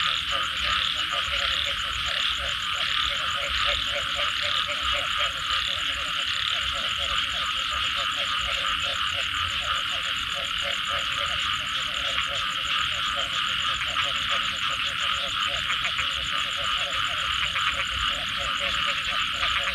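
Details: Many frogs croaking after rain, their fast pulsed calls running in continuous overlapping series, while a strong high buzz and rasping trills hold steady underneath throughout.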